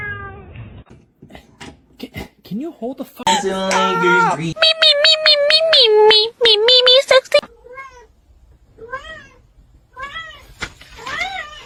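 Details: Kitten meowing indoors: a loud, drawn-out harmonic cry overlaid with sharp clicks, then a run of five or six short, arched, high-pitched meows about one second apart, with faint background noise between them.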